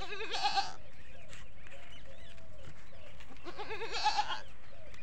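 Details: A Desi goat on a goat farm with many goats gives two wavering, nasal bleats a few seconds apart.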